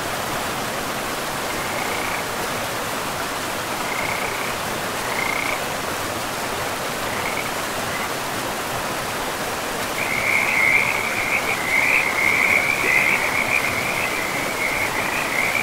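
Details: Frogs by a river in a pristine forest: short high trilled calls come in scattered bursts, then merge into a near-continuous chorus after ten seconds, all over a steady broad rush of flowing water.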